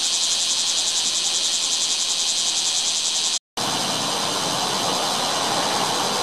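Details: Bear cicada in a chinaberry tree, 7 August 2017: very loud, steady shrill droning buzz with faint pulsing, briefly cut off midway before resuming.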